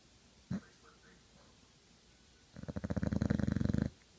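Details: Old English Bulldog snoring while asleep: one rough, rattling snore of rapid low pulses lasting over a second, following a quiet stretch broken only by a brief click.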